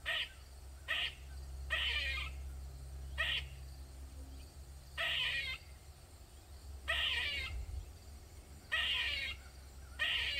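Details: Squirrel calling loudly in a Maryland backyard, a session lasting over 45 minutes; harsh, breathy moaning notes of varying length repeated at uneven intervals, with a constant low-pitched hum beneath.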